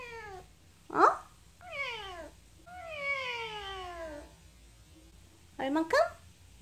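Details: Indoor female cat 'talks back' when her owner asks how hungry she is, giving a series of long, downward-sliding meows, one stretched over about 1.5 seconds, with a person's voice interjecting between them.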